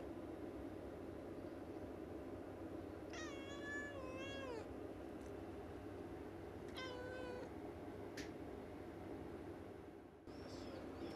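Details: Pet cat Yukke chattering at birds seen through the window, a daily habit: two bursts of bright, wavering mewing calls, the first longer with a dipping, warbling contour, the second shorter and falling, followed by faint clicks and a steady room hum.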